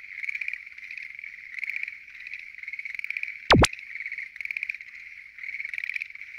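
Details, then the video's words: Schlegel's green tree frogs calling in a noisy night chorus at a lotus pond in Japan; dense pulsing trills rise and fall in waves about every second, with a brief sharp swoosh effect midway. "Noisy? Green Tree Frogs Chorus! !"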